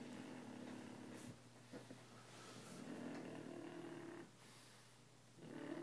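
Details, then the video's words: Snoring French Bulldog while sleeping: uneven rasping, wheezy breaths with a brief quieter dip midway and a few sharp snorts, over a low steady hum. "Snoring Frenchie!"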